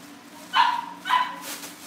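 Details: Cavalier King Charles Spaniel puppies at a breeder's home, getting ready for family pick-ups: two short, high-pitched yips about half a second apart over a steady low indoor hum.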